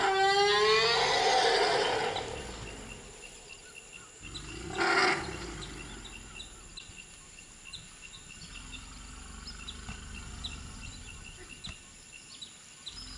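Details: Reunion of African elephants, the 38-year-old mother Jamila, her year-old daughter and her juvenile son, calling loudly in excitement: a rising harmonic call over the first two seconds, a short second burst later, then mostly quiet background with scattered bird chirps.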